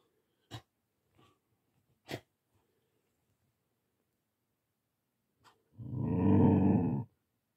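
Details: Young Siberian Husky, Goraidh, reacting to Olaf the tortoise while they are introduced so they can live together. Some sharp taps come first, then a deep, sustained, rasping growl of about one second near the end.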